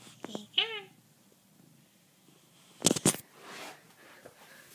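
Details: A talkative house cat answers its owner with a quick, downward-sliding chirped meow, followed by loud clattering bursts and murmured speech in a small room.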